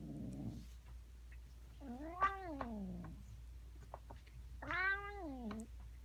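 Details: Cat giving two long, arched meows about three seconds apart, each swelling and then falling away, after a short low grumble at the start, with soft clicks and a low steady hum in the background.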